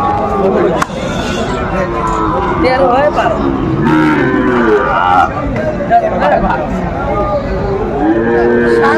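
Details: At a Faridpur cattle market in Bangladesh on 5 January 2025, Sahiwal bull calves low amid traders' chatter. Several wavering moos come and go, with a clearer one near the end, under constant crowd noise.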